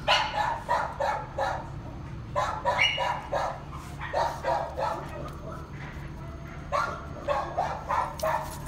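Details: Excited dog barking in quick bursts, about three a second, in uneven runs with short pauses. A person greets it and tells it not to jump.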